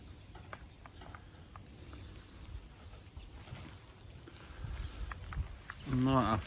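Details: Weaned Limousin calves in their pen: one short, loud, harmonic bawl that rises and wavers at the very end, after a stretch of quiet farmyard background with faint human speech.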